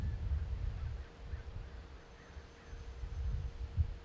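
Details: A cheetah at San Diego Zoo Safari Park purrs in a deep, throbbing rumble that swells and fades with each breath.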